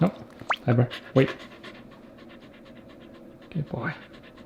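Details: Male Shiba Inu Pepper asks for a nugget treat at home with brief squeaky upward-sweeping whines and yelps in two bursts, panting between, and a person's voice saying "there you go".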